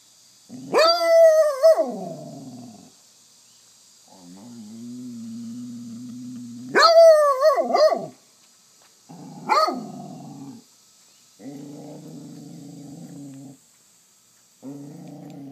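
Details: McNabb, a Basset hound, pestering for treats: loud wavering bays and howls alternate with long low groaning rumbles, a short sharp bark near ten seconds, then further drawn-out grumbles; faint steady background hum.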